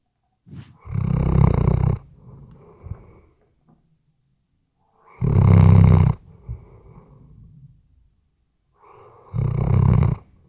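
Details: Sleeping Weimaraner dog indoors, recorded with a RODE NTG3B microphone: three loud, rasping snores about every four seconds, each roughly a second long, with softer breathy rattles trailing after the first two.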